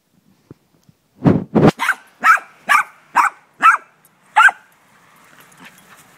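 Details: A dog playing ball gives a run of about nine sharp barks, roughly one every half second, the first two deeper and louder, then fading into quiet rustling.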